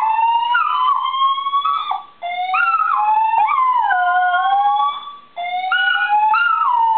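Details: A Dachshund howls along to the monthly fire alarm test in an apartment building, in long, wavering tones that slide up and down and break off briefly between phrases.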